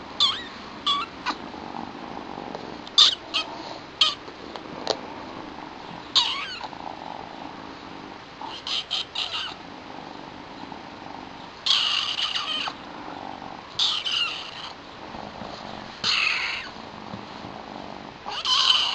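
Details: Two new pet kittens, Chilli, a small young female with white markings, and her all-black brother Pepper: high, harmonic-rich kitten meows come in short bursts, some clustered and some spaced several seconds apart, over low room hiss.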